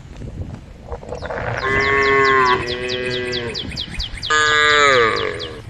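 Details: Herd of cows roaming the road, with cows calling the herd: two joined moos lasting nearly two seconds, then a louder, slightly falling moo after a short pause, with high bird chirps repeating behind.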